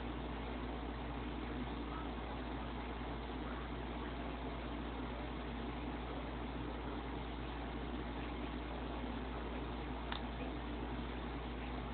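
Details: Steady low engine rumble, like a vehicle idling, fills the whole twelve seconds with broadband hiss; one faint brief click near the end and no animal voice.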